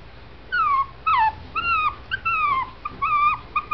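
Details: Male Shih Tzu puppy, born November 2011 at a Brazilian kennel, whimpers in a series of high, whistled, downward-sliding cries, about seven in under four seconds, each short and tonal with a quiet indoor background.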